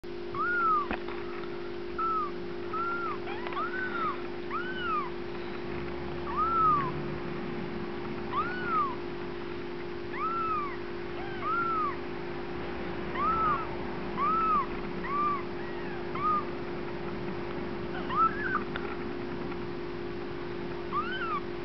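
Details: Bengal kittens from Lennox's first litter rolling around and playing; high arched mews repeat every second or so throughout, over a steady low electrical hum.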